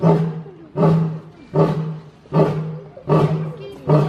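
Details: Roaring lion giving rapid, evenly paced deep grunts, about six in four seconds, each short, hoarse and low-pitched, sharp onset then quick fade.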